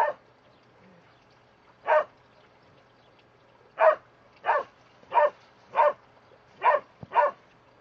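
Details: Barking from Border Collies Starbuck and Trixie at play in garden sprinklers: one early bark, a pause, then a quicker run of six barks near the end.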